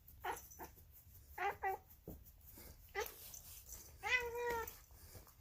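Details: Female polydactyl cat making weird noises: a run of short chirping calls, then a longer wavering harmonic meow that rises and falls near the end, with faint clicks and rustling between calls.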